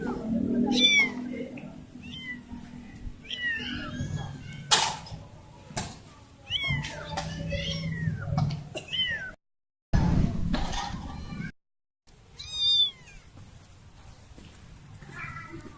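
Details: Baby cat that lost her family mewing repeatedly: thin, high, wavering cries in quick clusters, some with sharp clicks and bumps between them, two brief silent breaks, and low murmuring in the background.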